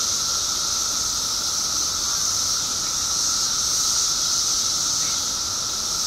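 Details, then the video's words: Steady roaring chorus of periodical cicadas, billions of them emerged after 17 years underground in Illinois, heard as a shrill continuous sizzle over a constant droning tone. "Billions of Periodical Cicadas Emerge After 17 Years Underground Cicadas Making Noise"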